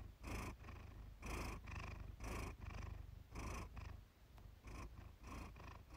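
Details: Iris, a Siamese cat, purring for relaxation: a low rumbling purr with breathy pulses repeating about once a second, swelling and fading in a steady rhythm.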